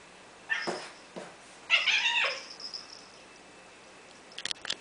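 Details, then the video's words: Female domestic cat fussing and hissing, mad at her own tail, something she does quite often: short squeaky harmonic cries near the start, then a louder harsh wavering cry lasting about half a second, followed by a few sharp clicks. "fussing and hissing at her own tail"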